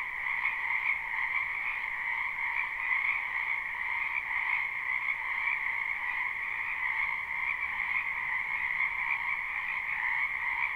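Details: Frogs in a spring wetland behind a house, live recording without looping: a dense, continuous chorus of overlapping trilling croaks in two steady bands, one high and one lower, with no pauses and a level volume throughout.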